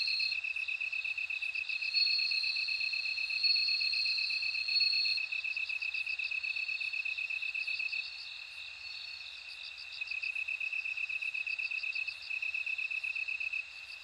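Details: Bell cricket song as a continuous high, bead-like pulsing trill, overlaid at first by a louder, higher ringing tone. Later comes a choppy, rapidly pulsed upper trill that fades in and out. Nothing else is clearly audible.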